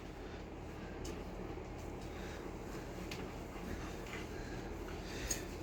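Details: Steady low indoor hum and fan-like noise with faint scattered clicks and no animal voice.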